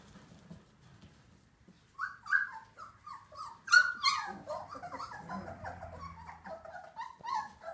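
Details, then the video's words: Old English Sheepdog puppies, a 2018 litter, whimper and yelp in a quiet room: high, wavering whines come in quick bursts, several overlapping, with a low hum underneath. "Puppy 2018 berger anglais old english sheepdog"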